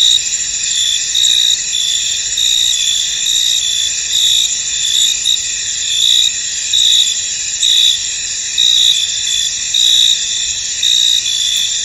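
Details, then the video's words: Crickets chirping in a misty, foggy field: a dense, continuous high-pitched shimmer with brighter trilled pulses swelling roughly every second over a steady insect hum; no other clear sounds. "Tranquil Cricket Sounds In An Misty Field"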